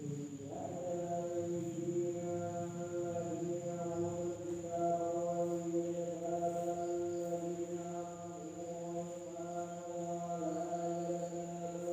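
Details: Sustained human chanting with steady held tones continues throughout, and no insect or other animal sound is evident.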